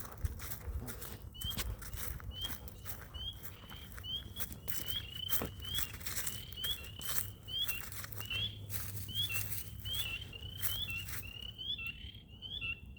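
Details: Frogs calling in a swamp: short, bright chirping notes repeated a little faster than once per second, overlapping into a steady chorus, over a hissy, rumbling background with scattered clicks and taps.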